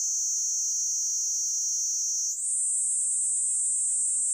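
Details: Continuous shrill buzz of a Platypleura kaempferi cicada, which abruptly steps up to a slightly higher pitch midway, a modulated change of tone, and then holds steady again.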